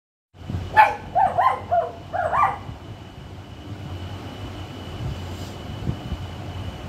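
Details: A puppy's first bark, as stated: four short, high yappy barks in about two seconds, followed by steady low rumbling background noise with a faint constant whine.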